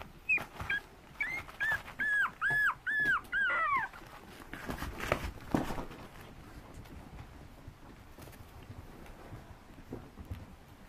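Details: Female smooth-coat Chihuahua puppy, white with black and tan, 46 days old, born 29 November 2015, recorded 14 January in Shizuoka, indoors. A run of about seven high, arching whines over the first four seconds, then quiet room noise.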